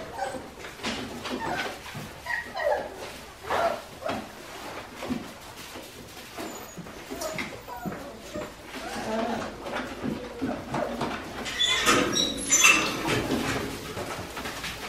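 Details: Five-week-old Australian Shepherd puppies from Priscilla's litter at Fifteen Acre Farms, Oklahoma, giving scattered high whimpers and short yips in irregular bursts, mixed with clicking and scuffling noises and human voices in a small indoor room.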